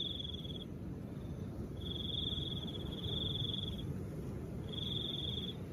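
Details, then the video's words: High thin cricket trill in on-off stretches, about two seconds long with short breaks, above a soft, steady low wind rush. "Crickets and the sound of soft wind"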